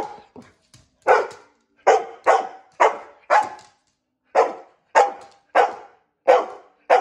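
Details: Pet dog, a female, protesting being brushed by her owner with loud single barks spaced about half a second to a second apart, a brief silent gap midway, a few softer yips at the start.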